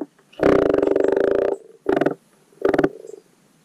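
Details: Common frog at a garden wildlife pond in spring giving its spawning call: one long, grating, pulsed croak of about a second, then two short, rattling croaks, with a faint purring chorus underneath.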